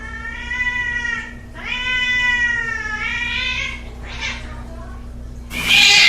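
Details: Fighting cat, angry and yowling: sustained wavering harmonic howls in two long stretches, a brief hiss, then an abrupt loud spitting burst at the end over a steady low hum.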